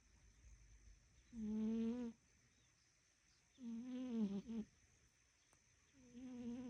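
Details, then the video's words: Napping fat house cat gives loud droning snores, each a raspy, slightly wavering tone lasting about a second, three breaths spaced several seconds apart over a low background hum. "Fat Kitty Nap Time Snoring"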